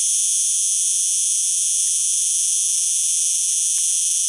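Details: Continuous high, hissing buzz of a singing cicada, level and unbroken, with a few faint soft ticks underneath.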